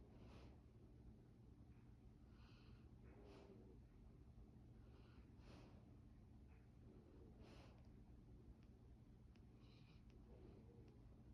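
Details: A sleeping Labrador Retriever puppy snores in deep sleep, with soft breathy snorts about every two seconds.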